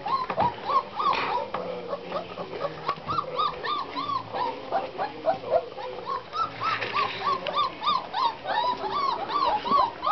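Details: Ten Black Russian Terrier puppies, 26 days old, from the Silver iz Veselykh Tuchek and Ariadna Jemchujina u Morja litter, giving rapid high whimpers and yips, many overlapping rising squeals repeating about three times a second.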